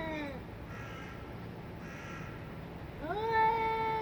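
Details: Fighting cats; a falling yowl trails off, a quiet gap with faint breathy sounds follows, then a loud rising, sustained nasal howl with strong harmonics.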